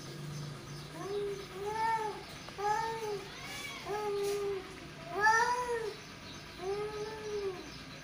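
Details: Two tomcats trading short, rising-and-falling whining yowls in quick succession, about six calls over eight seconds, indoors with a faint low hum.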